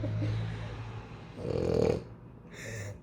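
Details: French Bulldog Loki indoors during a food taste-testing game: a low, buzzy, rumbling snore-like drone that swells into a louder snorting burst midway, then a short nasal snort at the end.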